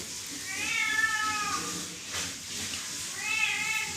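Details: Cats, five kittens and a grown cat, calling for food that is late; two long, rising-then-falling meows separated by a short pause, over steady background hiss.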